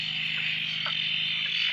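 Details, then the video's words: Frog chorus at a dam near Drake after several days of steady rain, the frogs suddenly calling after a silence; a dense, continuous high-pitched shrill band with a few faint lower notes, loud and unbroken. "Frog chorus after the rain"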